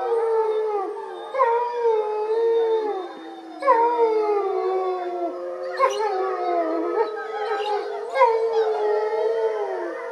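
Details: Captive wolf Motomo howls his protest on 20 September 2020 while his mate Mai is walked, with the whole pack answering. Several voices overlap in a dense chorus of sliding howls and short higher yips.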